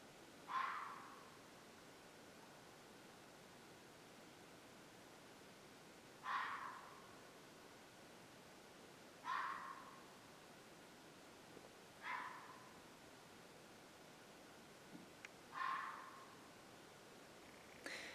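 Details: On a farm where this happens about once a month at dusk, an animal gives short, harsh screeches, repeated every few seconds at an uneven pace, not far away in the dark; owner suspects a mountain lion.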